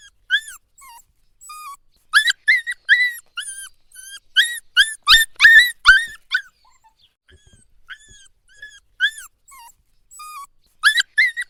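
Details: Puppy whining at night, a run of short, high, bent whimpers repeated roughly three per second in two clusters, early and late, with a few faint soft cries and near-silence between them.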